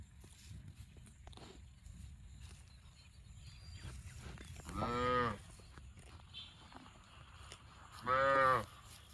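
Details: Cow mooing twice, short harmonic-rich lows about three seconds apart over a quiet rural background with faint ticking noises.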